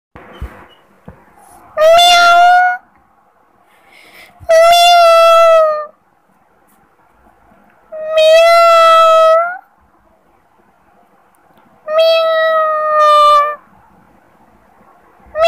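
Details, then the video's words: Kittens mewing: four drawn-out, steady-pitched mews, each lasting over a second, spaced roughly every two to three seconds, with quiet background between calls. "kittens sound funny## Cats mewing##"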